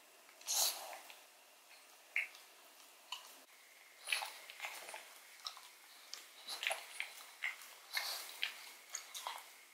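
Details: Odin the pug gnawing a bone filled with marrow indoors, ASMR close-up: crisp broadband crunches and wet clicks in scattered bursts, the loudest near the start and around four and eight seconds, quiet room between bites.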